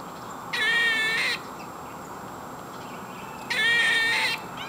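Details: Squirrel making awful noises: two harsh, raspy, buzzy bursts, each nearly a second long, about three seconds apart, over steady background hiss.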